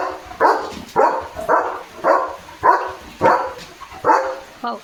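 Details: Playful barking from Leo the German Shepherd, romping about with a water mug held in his mouth: seven sharp, rough barks in quick succession, nearly two per second, ending with a brief whine.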